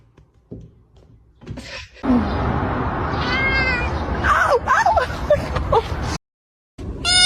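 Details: Domestic cat meowing amid a noisy, crowded background: a drawn-out, wavering meow with stacked harmonics, followed by several shorter bending, whiny calls, then a sudden cut to silence and a final burst of noise.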